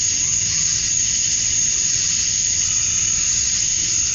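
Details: A chorus of male cicadas calling for females during summer dusk in Georgia, USA: an unvarying high buzzing hiss with a thin sustained whistle-like whine on top, steady from start to finish.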